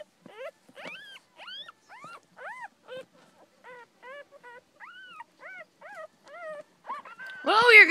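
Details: Newborn miniature dachshund puppies, two females and two males, squeak and whine in a steady run of thin, arched cries.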